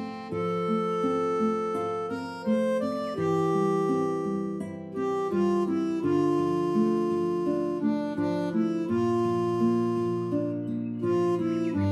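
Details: Bright harmonica melody over plucked acoustic guitar chords plays throughout, with no animal voice audible.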